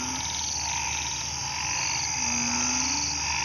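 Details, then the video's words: Frogs calling in a garden at night after rain, falling quiet when approached; a long low drawn-out drone rises slightly near the end over a fast pulsing high buzz and continuous background chorus. "เสียงอึ่งอ่าง เขียด ร้องระงม"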